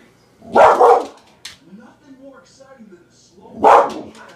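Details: Pet dog indoors barking at a goldfish, protecting its owners from it: two loud, harsh single barks about three seconds apart, with a person's excited voice asking what it is in between.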